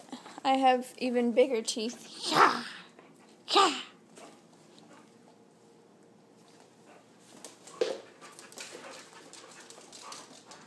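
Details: Husky, Chihuahua and Lab mix pup wrestling in play: a run of whiny, rising yelps, then two short, harsh barks or growls a second apart, followed by quieter snuffling, with people talking in the background.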